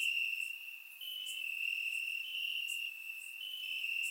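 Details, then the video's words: Chorus of crickets in the grass at night during a warm Bulgarian summer, captured with a surround microphone: continuous shrill trilling from several insects, loudness shifting slightly, with short sharp chirps cutting in above. "Cricket Sounds - Crickets Chirping at Night"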